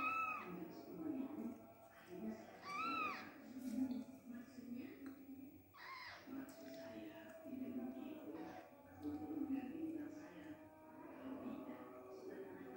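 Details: Persian kittens, newly born and left unnursed by their mother, let out a few thin, arched mews early on, partly buried under ongoing voices and background music.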